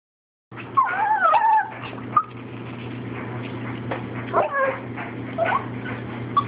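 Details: Two pet dogs, a Chihuahua and a Shih Tzu, begging for food indoors. High whimpers waver and bend up and down for about a second, then come in shorter whines later, over a steady low hum.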